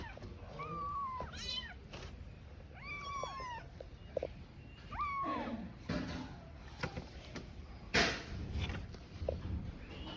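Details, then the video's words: Tiny kitten, left alone, crying while searching for its mother: a few rising-then-falling meows in the first half, then scuffling and handling noise with no more calls. "A Kitten Crying While Searching for Its Mother"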